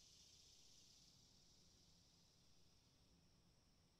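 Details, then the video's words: Cicadas giving a faint, steady high-pitched whine with a slight pulsing shimmer, set against soft low outdoor background noise. "Cicadas sound"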